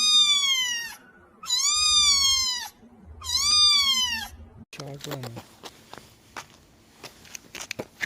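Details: Kittens meowing in a compilation: three strong arched meows about a second apart, each bending down at the end, followed by a brief lower squeak and then clattering handling noises and faint voices.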